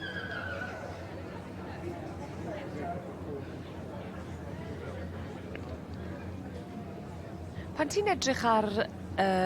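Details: Welsh Cob fillies and geldings at a ringside: a loud, quavering whinny bursts out near the end, its tone wavering up and down, over steady crowd chatter, a low hum and faint music.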